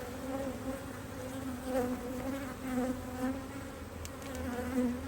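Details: Honey bees at an Australian-designed HiveIQ beehive in Australia, almost mid-Autumn 2023, busily working during fine weather as the hive is opened to add a box of empty frames; a steady, low droning hum with gentle swells in loudness throughout.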